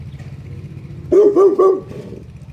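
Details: Saint Bernard barking: three loud, harmonic, slightly drawn-out barks in quick succession over less than a second. A low rumbling hum comes before them.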